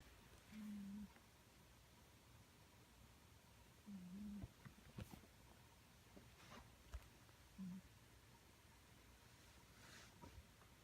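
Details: Sango, a pet cat, snoring while asleep: short low buzzy humming snores at about 0.5, 4 and 7.5 seconds, each lasting around half a second, separated by quiet breathing, with faint clicks and rustles in between.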